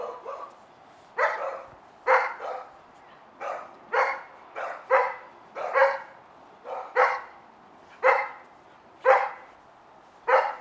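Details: Five-month-old male Labrador Retriever puppy barking while waiting for its owners to come home: loud, harsh single barks repeated about once a second, a short softer bark near the start, over a quiet indoor background.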